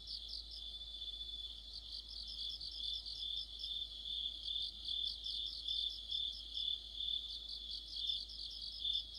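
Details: Crickets and other insects in an autumn night chorus near a streetlight: shrill sustained trilling layered with pulsing chirps, louder and softer singers overlapping in a slightly uneven rhythm.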